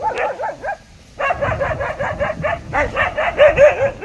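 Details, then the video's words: Dog giving quick, high, wavering yaps, then a brief pause followed by a fast run of sharp barks that repeat several times a second. "dog barking funny sound|dogs barking sounds"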